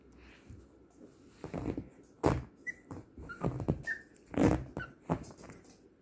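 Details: A small Yorkshire terrier indoors in a small room, giving short whimpering and growly vocal sounds between thumps and scuffles, with a few brief high squeaky notes.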